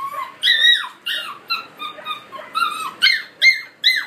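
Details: High-pitched squeaky yelps from collie puppies aged 50 and 63 days, filmed 20 July 2013; about eight bright calls, each bending downward at the end, come in quick irregular bursts, close and clear.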